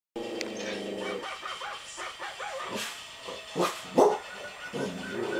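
A dog gives a brief, wavering howl, then breaks into a few rough, clipped barks.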